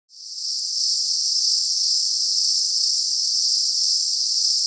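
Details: Insects outdoors on a hot day: a steady, dense, high-pitched shimmering hiss that swells in within the first second and then holds unbroken, with no other sounds.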